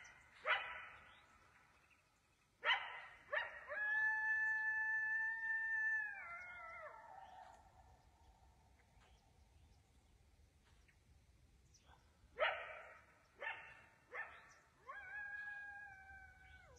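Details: Wild coyote howling close below a deer stand in the woods as darkness falls at dusk; sharp barks burst out, then long steady harmonic howls that slide downward at the end, the bark-and-howl sequence repeating after a quiet pause.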